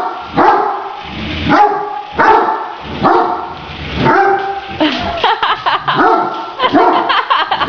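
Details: Great Danes bark at a remote-controlled toy tarantula during play. Strong, tonal barks repeat roughly every second, then quicken into a choppier run of shorter barks toward the end.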